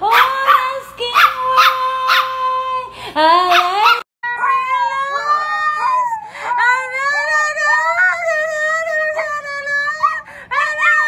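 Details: A Miniature Pinscher howls in long, wavering tones that slide up and down, singing along with its owner to the song "Broken Vow" playing in the background.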